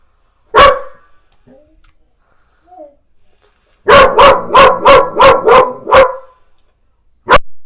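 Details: Callie, a black Goldendoodle, barks at the owner's mother and a painter: one sharp bark, a pause, then a rapid run of seven loud, even barks, and a final single bark.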